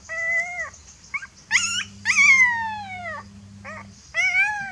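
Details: A fearful puppy cries for its mother with long, drawn-out whines, one sliding slowly downward for over a second, plus short yips between; steady low electrical hum in the background.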